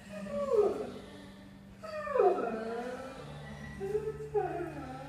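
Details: Felix the greyhound singing: three drawn-out, falling whining howls that each slide down from a high pitch, separated by short pauses, over a steady low hum.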